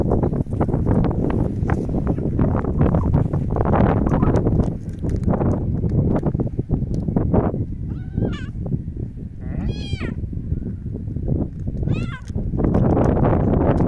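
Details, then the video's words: A kitten outdoors on a windy day gives three short, high, bending meows in the second half, each under a second long, over a constant heavy roar of wind gusts. "My Kitten in a windy day"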